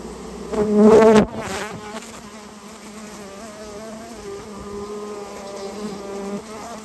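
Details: Japanese honey bees whose colony built its nest in a storehouse and is being removed; a loud, rough burst of buzzing rises and breaks off near the start, then settles into a steady humming drone.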